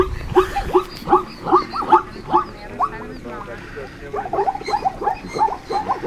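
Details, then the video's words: Zebras barking in the Serengeti during the annual migration, May 2014: rapid hoarse yelping barks in quick bursts of several calls, repeated at about two or three per second, with a pause mid-clip before another series. "Zebra bark is a weird sound!"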